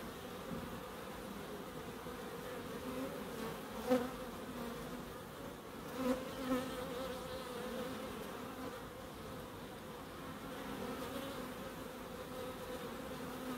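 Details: Humming bees in a Crookes wildlife garden, a level drone that swells as a bee passes close at about four and six seconds.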